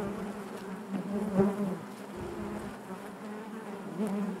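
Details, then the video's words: Hive of honey bees humming continuously, a low droning buzz with one bee swelling close just before the midpoint, then the even murmur resuming. "bees therapy hive natural buzzing sound"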